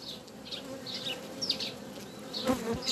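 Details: Western honey bee colony inside an inspected hive on 7 June 2020, as workers help the queen destroy a queen cell. Soft, steady hive hum with brief brighter bursts and a louder rustle near the end.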